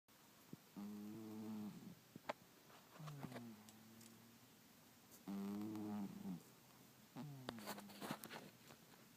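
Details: Sleeping domestic cat snoring indoors: four drawn-out, buzzy, harmonic breaths about a second long, each following several seconds of quiet, with faint soft clicks and rustles between them.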